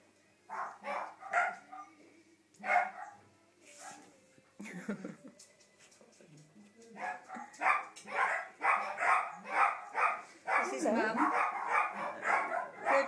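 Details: Five-week-old Shetland sheepdog puppies at play: a few short, high yelps and whines at first, then from about seven seconds a dense run of rapid, overlapping squeaky yips and whimpers, with brief quiet gaps between bursts.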